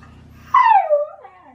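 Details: Shiba Inu named Baku howling in a falling, drawn-out tone during the autumn mating season, loudly demanding an early-morning walk; a single strong descending cry trailing into a softer lower whine.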